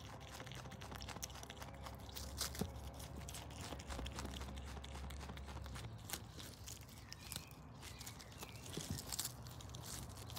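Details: Brush Tailed Possum Paula, an adopted Australian pet, feeding on lettuce, silverbeet and carrot; scattered crisp crunches and rustling bites with low background hum.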